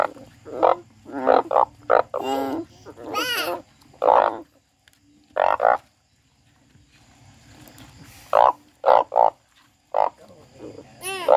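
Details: Frog crying in scattered harsh squawks and wailing, rising and falling notes, with long quiet stretches and a low murmur in between, then a final burst of loud cries.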